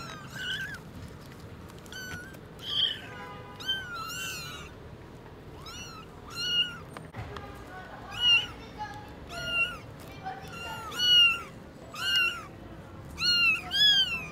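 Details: Newborn kittens at Lucky Paws, eyes newly opened, seeing their mother cat for the first time: high, thin meows rising then falling, about a dozen through the stretch, some overlapping, over a low steady background hum.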